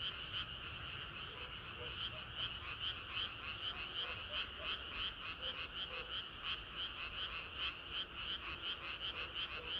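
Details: Frogs singing together on a hot summer night; a nearby caller repeats short rattling croaks about three times a second, slightly uneven, layered over a dense ongoing chorus of distant frogs.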